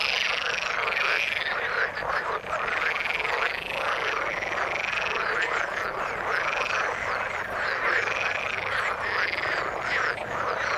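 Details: Frogs in the water calling together, a thick chorus of pulsed croaks rising and falling in waves about every second or two, continuous and busy.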